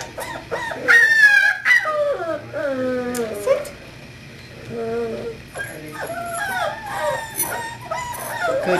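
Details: Quavering whines and a drawn-out falling howl from Kahlua, a 5-week-old English Springer Spaniel female puppy born 12-5-11, come in irregular bursts with a pause midway, as a voice keeps saying "good girl".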